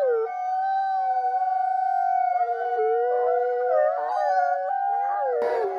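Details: A group of wolves in a chorus of long, sustained howls, several voices held at separate pitches with wavering, bending tones rising and falling beneath them, ending in a short noisy crackle.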